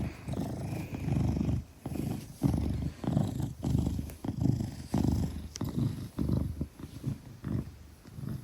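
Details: Maine Coon named Gelic, weighing 10 kilograms, held safely in arms and purring; deep, strong rumbling purr with clear rhythmic breathing cycles, roughly one pulse every second or so, close and loud.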